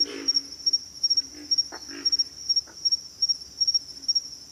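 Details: Low, rough grunts of pig frogs open the recording, followed by a few scattered throaty bursts, all beneath a continuous shrill insect chorus pulsing in quick beats.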